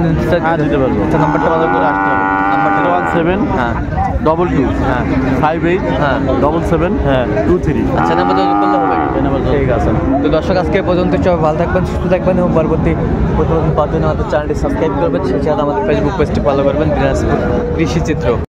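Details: At the Raniganj livestock market in Dinajpur, Bangladesh, where Friesian and crossbred bull calves were traded on 2 January 2025, cattle give two long, low moos about six seconds apart amid constant crowd talk and market bustle.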